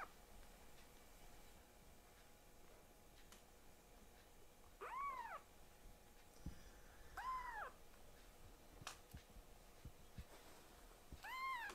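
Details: Protesting kitten being given a nail trim, one of two young rescued foster cats named Ashiro and Akuro; three clear arched meows, about two seconds apart then a longer gap, over quiet room noise and faint clicks.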